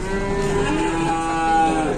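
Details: Cattle being unloaded from transport, described as huge with elephant-like legs: a steady, drawn-out low moo with rich harmonics holding one pitch for about two seconds, with faint vehicle and yard noise behind.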